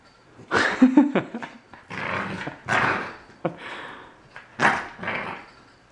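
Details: Young male Corgi puppy protesting a freshly fitted collar inside a small room: a run of grumbly, growl-tinged barks and yelps in several separate bursts, some with a brief tonal squeal early on.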